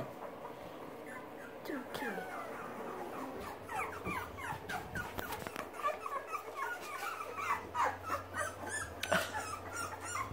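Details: Young Boxer puppies learning to use their legs and paws give a busy chorus of short, high squeaky whimpers and yips. The calls overlap, bend up and down in pitch, and come several per second, with occasional soft knocks and thumps.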